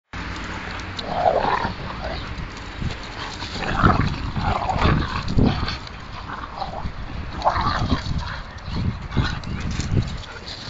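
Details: Siberian husky play fighting with another dog in a park after about two hours of rough play; rough growls and grumbling vocal bursts come in uneven runs, with some whiny rises and thumping low rumbles between them.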